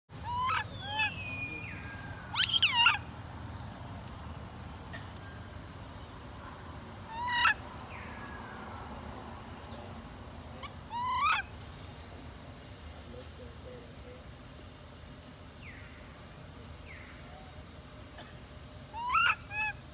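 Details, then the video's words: Baby monkey Lori, left alone by her mother Amari, crying: short, sharp upward-sweeping squeals come in scattered bursts, a loud pair early on and then single cries every few seconds, over a steady low hum. "Baby monkey Lori crying so sad because careless Mum Amari Leaves her alone."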